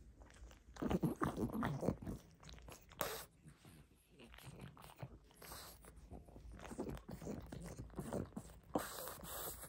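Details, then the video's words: Close ASMR recording of a pug eagerly gnawing a tasty rope toy indoors: uneven crunchy bites and slurping chews in quick clusters, with a loud burst near the first and third seconds and snuffling between. "Мопс жадно жуёт игрушку.Вкусная веревка."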